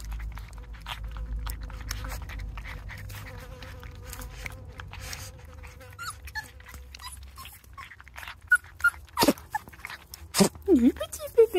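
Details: Non-LOF Border Collie puppies from Domaine des Tourelles eating their first meal outdoors; a long, steady, thin whine holds level, then brief squeaky yelps and a woman's cooing voice break in at the end.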